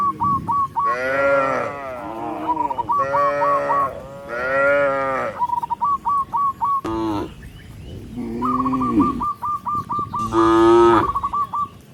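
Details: Herd of tens of tame cattle walking along a rice field road, mooing repeatedly: drawn-out, rich lowing calls follow one another, with bursts of short high chirping in the gaps.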